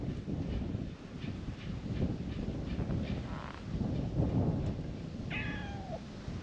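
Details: A brown tabby stray perched on Japanese shrine steps lets out a brief, falling meow near the end, preceded by rumbling low noise and faint outdoor sounds.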